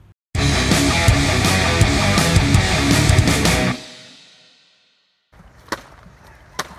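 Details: Loud rock guitar music plays for about three seconds, fades out, then leaves near silence with a few faint clicks and taps.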